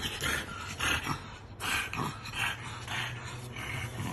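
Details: A French bulldog meeting a statue of himself gives a run of short, breathy grunts and whiny snorts in quick succession.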